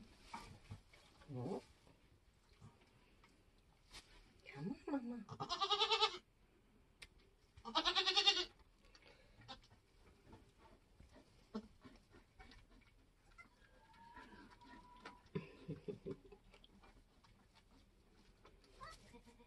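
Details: On a homestead during kidding season, a Nigerian goat giving birth gives two short, loud, vibrating bleats midway, surrounded by quiet human voices, rustling and scattered clicks.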